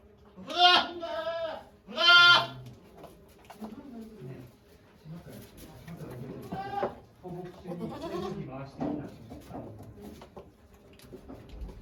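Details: Doe goat Okayu bleating during labour at Yoshigake Farm, 3 May 2023, before delivering twin kids; two strong quavering bleats in quick succession open, followed by softer murmured calls and quiet human voices in the background.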